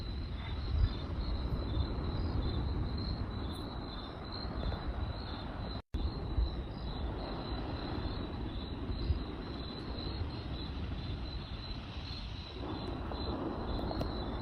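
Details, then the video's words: Nighttime cricket chorus of rapid high chirps continuing almost without pause, set against heavy low crackling from a campfire, with a brief cut near the middle. "Cricket Sounds by Night"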